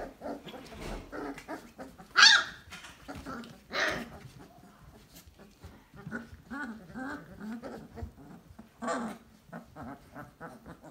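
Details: Basset Hound puppies, a litter three weeks and two days old, in a whelping box, making many short whimpers and squeaky whines over soft shuffling, with a few sharper high squeals standing out.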